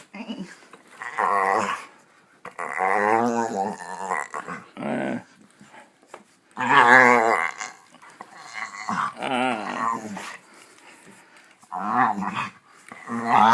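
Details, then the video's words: Pit Bull making weird groaning sounds while play biting indoors: drawn-out, wavering, throaty moans in bursts of one to two seconds, about seven across the stretch, separated by short quiet gaps. "Pit Bull Play Chomps with Weird Groaning Sounds"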